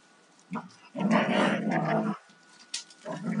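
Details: A 2-year-old male and a 4.5-year-old female Alaskan Malamute in rough play; after a short grunt comes one sustained, rumbling growl lasting about a second, then brief quieter grunts.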